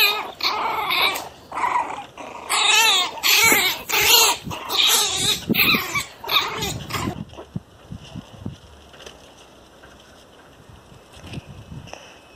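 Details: Angry pinscher puppies aged one month let out a fast run of shrill, wavering yaps and snarls for about seven seconds, then fall nearly silent apart from faint soft sounds.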